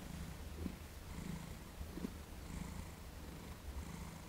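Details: Purring from Thomas, a cat cooperating calmly during his first massage: a deep, continuous rumble that swells and eases in a regular breathing rhythm, roughly every seven-tenths of a second, in a quiet room.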